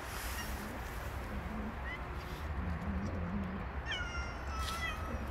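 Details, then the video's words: Female street cat under attack by three male cats: low, wavering growl-like moans in the first seconds, then a loud, drawn-out, harmonic-rich meowing yowl near the end, over a steady low outdoor rumble. "Poor Female Cat Attacked by 3 Male Cats."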